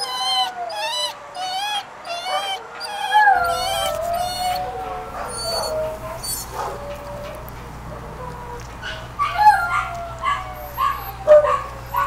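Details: A two-year-old male Beagle/Pug mix in a kennel crying because he wants out, giving long wavering whines and yelping cries that rise and fall, with a steady low hum in the background.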